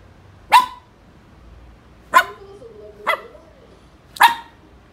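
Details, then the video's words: Maltese terrier in an angry mood barking four times in short bursts, the barks one to two seconds apart, linked by a soft wavering whine. "angry maltese terrier"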